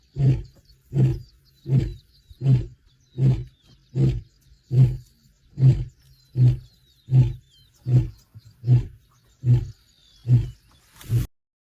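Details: Wild male lion in the Masai Mara, 8 May 2025, warning off his sons: a closing series of deep, evenly spaced grunts, roughly one every 0.75 seconds, steady and low, outdoors with little else heard.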